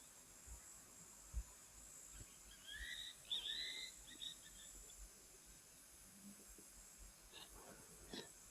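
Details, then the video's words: Cicadas keep up a steady, high-pitched electric drone with a few brief chirps on a very hot day, 16 November 2024, at Nguma waterhole in Etosha, Namibia, while an elephant bull feeds on an acacia. "You can hear those cicadas calling."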